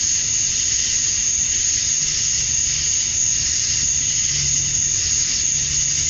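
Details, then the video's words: Summer-night cicada chorus at dusk in Georgia, USA, males calling to attract females; a continuous shrill hissing buzz that never pauses, with a thin sustained whine above and soft low hum beneath. "Cicadas at Dusk, Summer Night"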